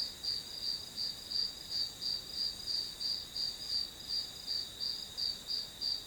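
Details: Background of grass insects for studying: regular high-pitched pulsing chirps near three per second layered on a continuous shrill insect drone.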